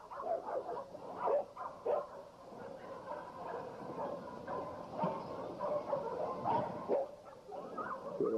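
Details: American Pit Bull Terriers at a kennel yard struggle with each other, trying to break free. A dense, overlapping run of yapping barks continues with no clear gaps, and faint talking sits underneath.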